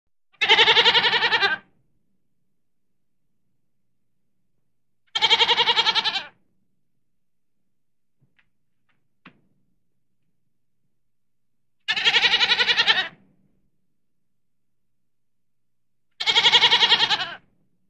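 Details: Goat bleating in four loud, clean bursts, each about a second long and strongly harmonic with a wavering, quavering tone, spaced roughly four to five seconds apart over near silence.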